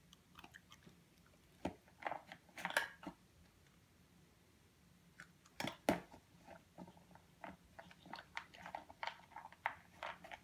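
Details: Eight-and-a-half-week-old purebred European Doberman Pinscher puppy eating in a small room; crunchy bites come in clusters with short pauses, a couple of loud sharp crunches midway.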